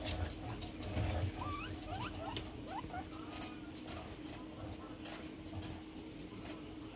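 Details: Pet guinea pigs playing with a ball: a quick series of short, rising squeaks early on, amid soft pattering and scuffling movement over a steady low hum.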